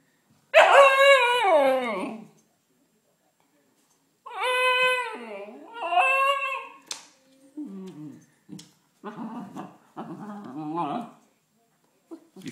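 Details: Female Siberian Husky pup, muddy from rolling in mud, crying outside because she is not let into the house; a long falling wail, then two wavering whines and a string of short, broken whimpers and yips.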